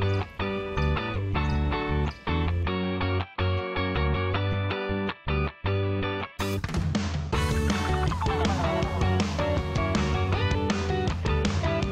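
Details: Guitar-driven background music with strummed electric guitar and brief gaps, then a fuller, brighter passage.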